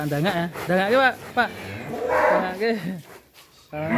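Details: Huge fattened cattle kept a long time without leaving its pen; a low, drawn-out moo that swells and bends in pitch, overlapping several men talking close by.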